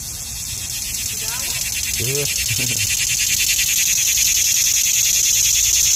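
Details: Summer cicada buzz, shrill and rapidly pulsing, holding steady and slowly swelling, with a couple of short lower voice-like sounds breaking in around the two-second mark.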